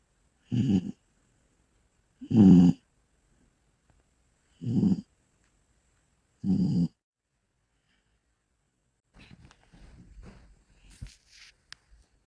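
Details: Bull Terrier asleep, giving four low, gravelly snores roughly every two seconds, one louder than the rest, then a stretch of soft rustling and shuffling noises toward the end.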